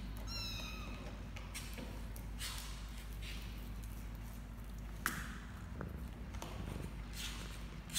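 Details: Playing 29-day-old kittens, four siblings born to Laki, a former stray in Cambodia, recorded 29 January 2020; one brief thin meow opens, then soft rustling, tapping and shuffling noises as they tumble about.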